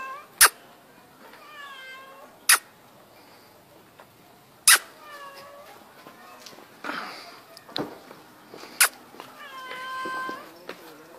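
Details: Kitten named Mano meowing repeatedly while being called, in reply as if talking; several harmonic meows, some falling, some rising then falling, between loud sharp clicks roughly every two seconds, with a brief breathy sound midway.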